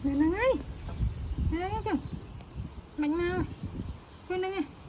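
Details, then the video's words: A baby monkey, upset as its mother leaves, gives four strained, harmonic cries roughly a second apart. Each wavers, then bends downward. A quiet background of rustling and low noise runs beneath. "Adorable Baby Monkey Tantrum When Mom Leaving"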